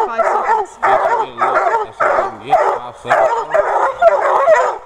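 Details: Young Redbone Coonhound littermates worked up over a raccoon in a cage, giving short bursts of bawling barks roughly twice a second, with a lower whining hound voice between the bursts.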